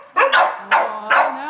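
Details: Three quick, hoarse barks come from a group of a Sheltie, a Collie and a French Bulldog excited by a squirrel on a rainy March day. Each bark is short and forceful, with a faint whine between them.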